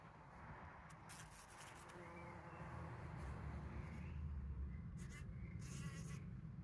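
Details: Bees collecting pollen on 17 June 2023, recorded by trail camera: a low buzzing hum that swells louder midway, with scattered rustling crackles and a few faint bird notes in the background.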